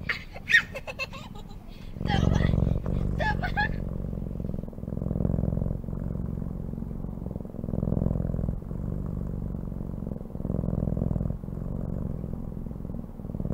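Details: Short voice-like sounds open the recording, then a cat's low, throbbing purr takes over and runs on in breath-length waves, each phase separated by brief dips.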